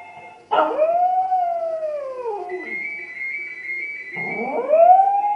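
A Maltese dog howls in long, wavering tones that rise and then slowly fall.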